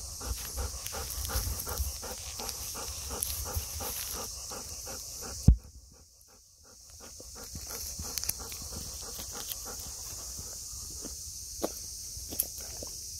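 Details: Golden Retriever, one of two dogs walked in strong sun, eager as it nears the cool room: steady fast panting, a sudden knock and brief lull midway, then panting resumes beneath a constant high hiss.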